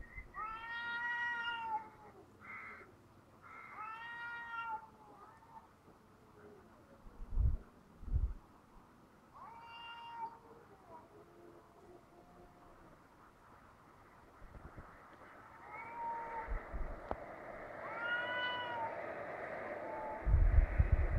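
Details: Two cats outdoors in Heerenveen, calling back and forth in a way that resembles a crying baby: long, drawn-out wailing meows in separate bursts, some rising and falling, with quieter stretches and a few thumps and background noise between.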